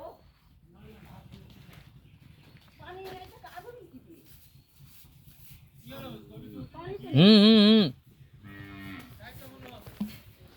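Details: A Brahman-breed calf on a Bangladeshi farm, restless and refusing to come when called, gives one loud, wavering moo lasting under a second among quieter lowing and the owner's Bengali speech.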